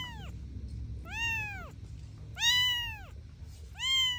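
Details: Kittens at play with their mother cat; four high, thin meows, each rising quickly then sliding down, spaced about a second apart, over a soft low rumble.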